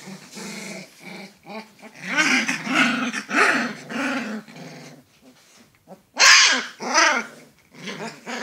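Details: Alaskan Malamute pups indoors making loud, rough growls and yappy, grumbling vocalisations in bursts, with a sharp high yelp near the end, sounding like boisterous play among littermates.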